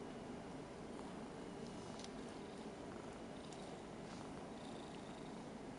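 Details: A six-year-old Ragdoll cat, Rara, purrs in a low, steady, continuous rumble while being stroked, a cat that usually dislikes being touched except in a cuddly mood.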